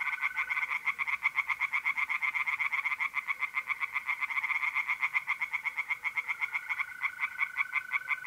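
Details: Several tree frogs calling together from a pond in north-east Italy by night in mid-April, a dense, unbroken stream of quick, harsh pulses over a faint steady mole cricket trill.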